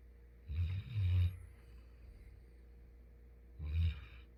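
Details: Labrador Retriever named Futu, from Jeju, snoring in sleep: a long double rumbling snore in the first second and a half, a quiet pause, then one more short low snore near the end.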